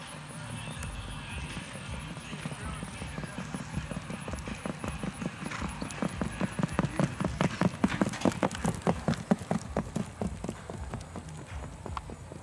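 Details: Standardbred race horses racing on a track in East Texas: sharp, rhythmic hoofbeats grow louder from about four seconds, pounding in a fast, slightly uneven beat of roughly two to three strikes per second, with voices in the background.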